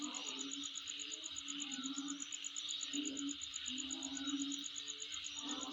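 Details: Insects calling near a home: a steady, rapid high-pitched pulsing trill runs throughout over a dense shimmering hiss, with a low droning tone swelling in and out every second or so.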